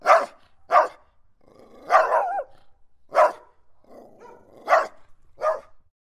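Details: Angry guardian dog, barking aggressively: six heavy barks in six seconds, some drawn out with a rough, growling edge between them, against silence.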